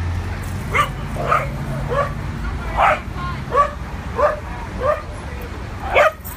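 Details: A run of about nine loud, clipped barks, roughly one every two-thirds of a second, from two adopted dogs playing on their first trip to a New York City dog park, with a faint low city rumble behind.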